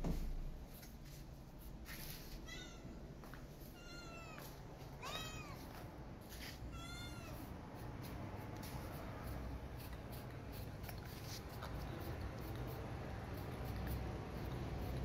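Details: Maya, a feral cat, meows for food with her kitty missing; four arching, harmonic meows spaced about a second apart in the first half, then only low rumble and scattered clicks.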